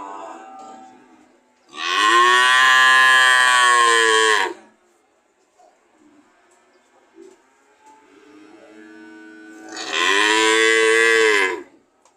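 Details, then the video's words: Two long, loud cow moos about eight seconds apart, each a rich harmonic call lasting two to three seconds with a slight falling end, near silence between. "Sound of cow"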